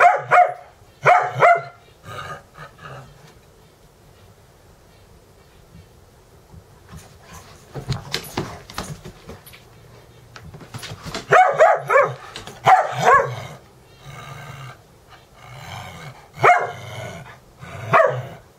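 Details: Morning play-wrestling between the dogs Dexter and Mister, with Ecco and Cricket observing, in a Valley Village, California home on 10-11-17; scattered snarly barks and growls, a quieter stretch midway, then a dense run of yelping barks near the end.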